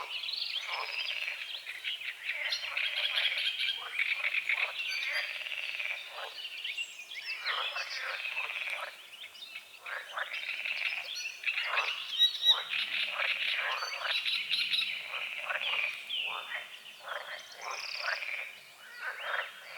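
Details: Croaking frogs at sunrise on a small lake bordered by forest, calamus and water lilies. Rapid, rasping croak bursts crowd together continuously, while songbirds chirp and whistle in the background.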